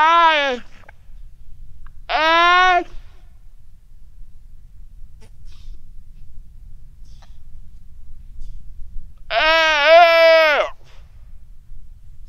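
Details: Weddell seal pup on the ice shelf, Terre Adélie, Antarctica, calling its mother, quiet sunny afternoon, 15 November 2009, recorded with a Rode NT4; three voice-like harmonic cries, the last longest with a wavering, dipping pitch, over near silence.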